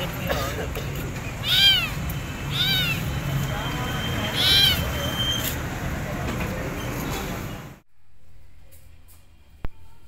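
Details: Starving stray kitten with burnt fur and a wounded mouth, found roaming for food and taken in; three arched, plaintive meows spaced over a few seconds under a person talking and steady engine-like rumble, then near silence.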